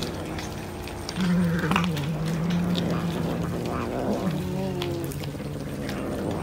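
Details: Cat eating fish, a low humming growl that starts abruptly and holds steady for several seconds, dipping and rising a little, with faint smacking and clatter in the background.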